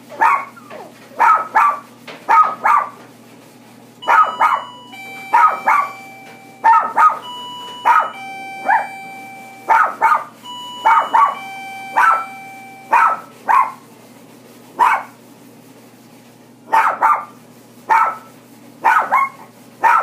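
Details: Toy Poodle yapping in repeated short clusters of two or three barks, with a sustained electronic tone and beeping music sounding through the middle section.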